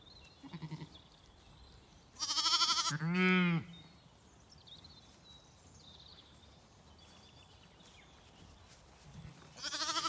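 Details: Confused Zwartbles lambs on a County Kilkenny farm in Ireland cry for mothers busy at breakfast; two loud quavering bleats mid-recording, then fainter distant bleats near the start and a rising one at the end over quiet background.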